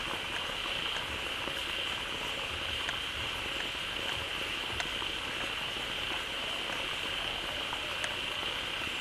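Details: Many frogs gathered in a pond newly filled by a flowing waterfall, calling loudly: a dense, unbroken chorus with a steady high shrill band and soft low pulsing croaks underneath, plus scattered faint clicks.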